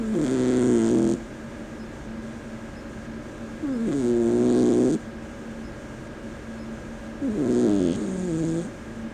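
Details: Small sleeping Persian cat snoring loudly, three long rasping breaths roughly every three and a half seconds, each a harsh droning buzz with a quieter hum between, indoors.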